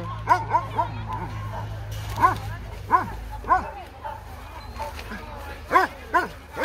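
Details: Two-year-old female German Shepherd mix, medium-sized, up for adoption, giving short, sharp yelping barks at uneven intervals, about seven in total, with people talking and laughing nearby.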